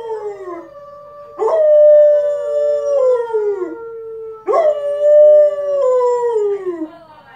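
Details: A Siberian Husky gives long, wavering howls that slide downward, howling along with a wolf on TV.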